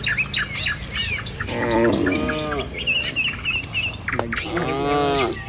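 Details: Tame village cattle walking along a village road toward their pen in the morning. Two drawn-out, harmonic moos, the second rising then falling, with birds chirping steadily in the background.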